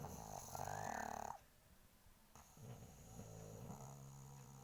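A pug snores with rough, rumbling breaths and a brief nasal wheeze.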